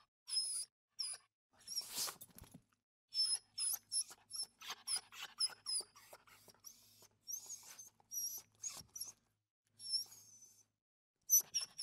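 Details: Small dog whimpering almost continuously with high-pitched squeaks and soft snuffling breaths, one louder noisy burst near the start, then spaced squeals to the end.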